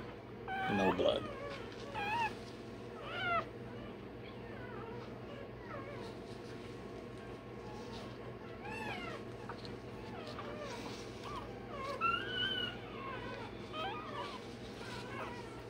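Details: Day-old Rottweiler puppy having tail and dewclaws done, giving scattered thin, meow-like squeaks and short arching whimpers between pauses, softer and more spaced out, under quiet speech and a steady indoor hum.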